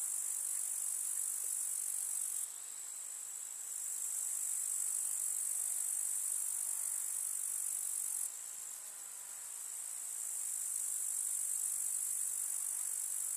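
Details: Grasshoppers stridulating among summer wildflowers in a village meadow. Their unbroken high, sizzling trill drops in volume twice, each time recovering after a few seconds, over a faint background rustle.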